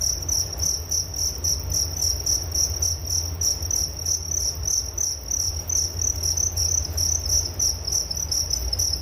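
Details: Crickets as a sleep-aid nature sound, shrill pulsing chirps repeated roughly three to four times a second in an even rhythm, plus a faint low drone.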